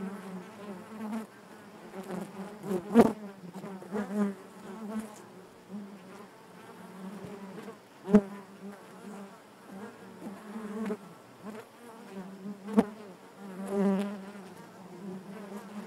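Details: Continuous hive hum from honey bees, low and layered, broken by sharp close fly-bys and soft knocks at roughly three, eight and thirteen seconds, tones wobbling as bees move about the comb.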